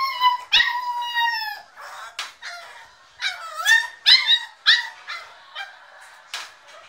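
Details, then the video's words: Crated Staffordshire Bull Terrier puppy Diablo wants out: a long, shrill, steady wail first, then quieter whimpers and a cluster of sharp, rising yelps before softer whining at the end. "Stafford puppy Diablo screaming"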